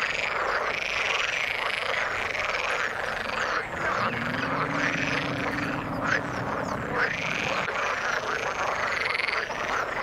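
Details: Chorus of frogs in water, with dense rattling croaks and bright chirps; a lower drawn-out droning call runs under it for a few seconds midway.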